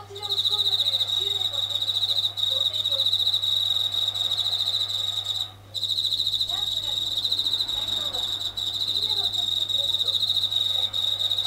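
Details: Japanese katydid calling at night in a kitchen near the ceiling; it sings louder when tap water runs nearby. A continuous high, rapidly pulsed buzz breaks off briefly midway, then resumes, with a low steady hum and faint clatter beneath.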